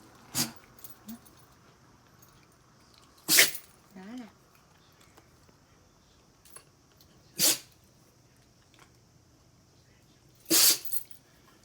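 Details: Shiba Inu sneezing repeatedly from its own fur while being rubbed, enjoying the attention: four sharp, breathy sneeze bursts spaced a few seconds apart, with a soft squeaky whine between the first ones in a quiet room.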